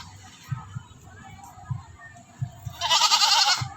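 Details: Quiet stretch with soft thumps and faint voices, then a neighbour's goat being offered food lets out one loud, rough, quavering bleat near the end.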